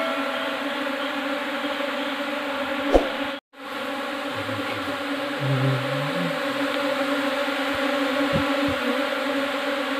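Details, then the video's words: Steady humming drone of Asian honey bees, Apis cerana indica, as a new swarm arrives in a hive box; the buzz holds a constant pitch with overtones, broken once by a short dropout, with faint low thuds. "new swarm // apis cerana indica //"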